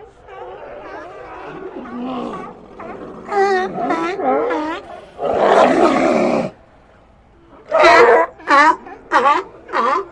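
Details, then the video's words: Sea lions calling in an ambient recording: harsh, harmonic barks and wavering honks, some overlapping, with a long rasping roar mid-way and a closing run of short, loud barks spaced about half a second apart. "Ambient Sea Lions"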